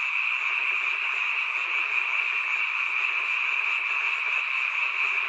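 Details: Seasonal nocturnal chorus of many frogs at a rural mountain home; dense, even trilling croaks blend into one continuous high drone without pauses.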